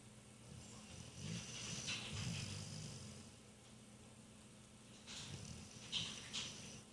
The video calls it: Piper the Rottweiler snores